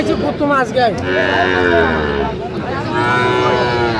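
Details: Sahiwal bull at a cattle market on 3 January 2025, bought by a Dhaka farmer: a low, drawn-out moo swelling in the middle, rising over busy market chatter and voices haggling over prices.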